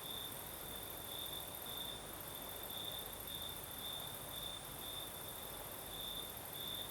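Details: Southern Crimea at night: crickets sing a shrill, evenly pulsed trill, bursts following one another roughly twice a second, while a light breeze adds a steady rustling hiss underneath.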